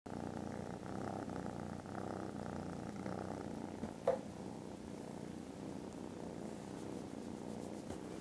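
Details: Contented foster kittens snoozing after lunch on Friday 18th December, purring very loudly: a steady, low, continuous rumble throughout, broken by one brief sharp click near the middle.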